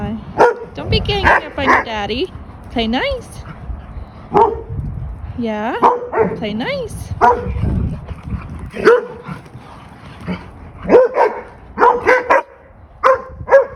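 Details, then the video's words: German Shepherd puppies playing as a vocal pack, including Dodger and Arial: bursts of curving high whines and sharp yips, then a run of short barks in the latter half, with human conversation underneath. "Pack Of Vocal Puppies Play"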